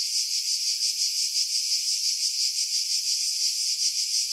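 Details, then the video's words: July cicada song from pine trees at Pefkos Bay, Skiros, Greece; a bright, sizzling buzz beating in fast even pulses around three times a second, with nothing else audible after wind noise was filtered out. "Cicada Sounds, July 2018 Skiros, Greece"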